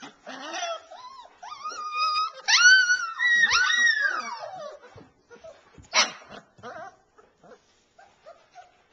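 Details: Alaskan Malamute puppies calling with clear, tonal whines that rise and fall, some drawn out over a second, mixed with short yelps, then trailing off into faint squeaks.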